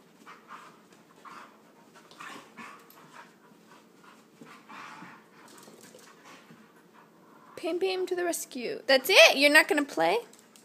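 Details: Husky pup, a Husky, Chihuahua and Lab mix, wrestling indoors. Quiet rustling and low sounds give way after about seven seconds to a burst of rising and falling, yowling vocal sounds.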